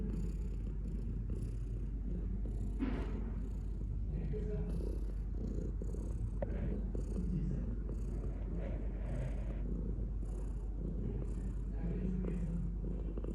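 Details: Steady rumbling purr from a pet cat, low and buzzy throughout, gently pulsing with each breath, with occasional soft clicks and rustling.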